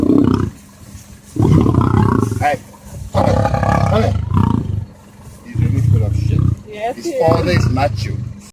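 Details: Lion roar, heavy low grunting bursts in several pulses separated by brief silences, with a voice speaking over parts of the sequence.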